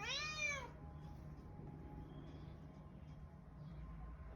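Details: Somali cat in Hargeisa, Somaliland, giving a single clear, drawn-out meow that rises and then falls, lasting under a second, followed by steady low background hum and noise.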